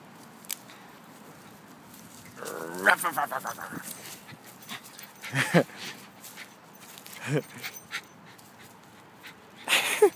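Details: Jazz, a female miniature schnauzer, plays fetch with a stick. A few short, sharp barks break through, spaced a couple of seconds apart. A person's encouraging voice runs alongside, with a drawn-out tonal vocal sound early on.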